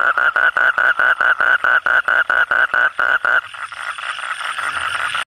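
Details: Frogs calling at night; a fast series of loud, clipped nasal croaks repeated about twice per second for three seconds, then a softer continuous buzzing trill fills the rest.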